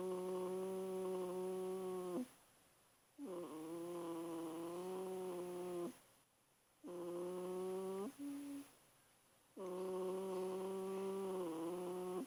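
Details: An 8-week-old German Shepherd puppy, asleep, snores in long, droning, slightly whiny breaths, each about two seconds; recorded 18 February 2012.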